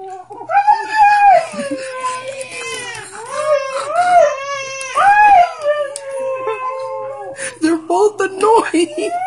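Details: Siberian Husky Diesel sitting beside a baby girl in her bassinet, crying, whimpering and howling whenever she cries; long wavering howls that rise and fall in pitch, overlapping with an infant's crying and a woman talking in a small room.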